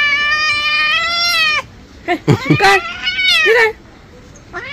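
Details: House cat protesting a bath: a long steady meow, then a burst of rough clipped cries and a falling wail, ending with a short rising meow.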